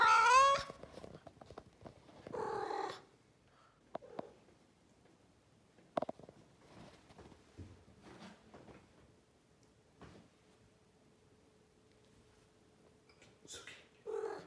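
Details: A female blue Maine Coon cat gives short, chattering meows with quiet pauses between them.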